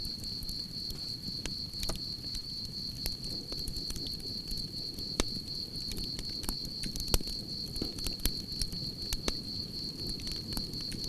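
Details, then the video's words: Campfire ambience with crickets: their unbroken, high, pulsing chirr stays level throughout as scattered loud pops of burning logs and a dull low rumble of flames sound alongside. "Soothing Cricket Sounds"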